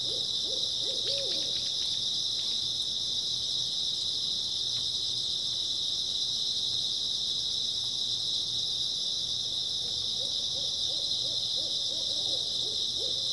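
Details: Continuous shrill chirping of grass insects on an early autumn night, a level high-pitched drone, with faint low hooting phrases near the start and again toward the close.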